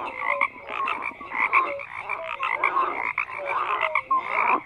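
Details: Frogs croaking in a dense chorus, many overlapping voices giving rapid, rattling croaks in bursts with brief gaps, plus short whistle-like notes scattered through; no other sounds stand out.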